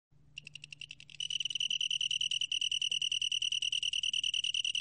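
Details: Long-tailed tree cricket beginning to sing. The trill starts softly and unevenly, then swells into a loud, continuous, high pulsed chirring at one steady pitch after about a second, over a faint low hum.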